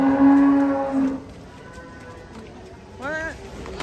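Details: Cattle raging as they are unloaded from a truck: a steady, low, droning moo held for about a second, then men talking excitedly nearby, with another short voiced sound rising and falling near the end.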